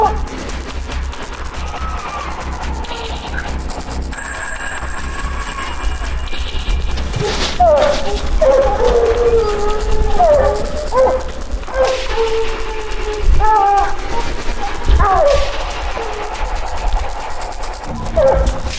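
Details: Several hounds bay in loud, drawn-out bawls and chops, with music over them, while running a fresh mountain lion track and treeing the lion during a Colorado hunt in 2024 that also trained pups.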